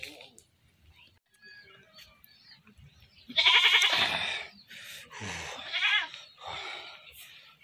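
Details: A goat that was caught and then slaughtered gives a loud, wavering bleat of about a second with a quivering tremolo, then a second shorter bleat two seconds later, amid quiet background chatter.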